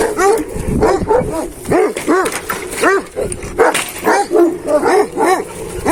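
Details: A rapid run of loud, booming barks, about two per second, from Hançer, a purebred Kangal and son of Kurtboğan, recorded 26 April 2024. The barks are slightly hoarse, with some outdoor noise between them.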